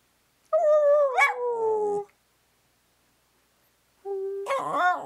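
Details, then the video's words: Pet dog howling in a back-and-forth exchange with its owner, wanting cake: a long, tonal, falling howl, a pause, then a second rising and wavering howl. "A conversation with the Dog"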